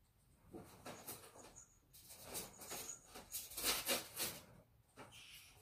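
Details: Ferrets fighting, with a series of harsh, noisy hissing bursts, each lasting a fraction of a second, coming in irregular clusters over several seconds, plus a few faint high squeaky tones.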